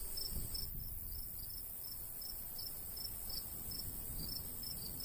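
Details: Crickets of the summertime countryside near a golden wheat field: high, slightly uneven pulsed chirps, several per second, with faint breeze beneath.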